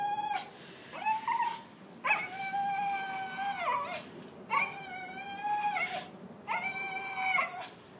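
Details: Welsh Terrier producing four long howls, each about a second and a half, beginning with an upward scoop, holding a steady rich-toned wail, then dropping slightly at the end, with short gaps between.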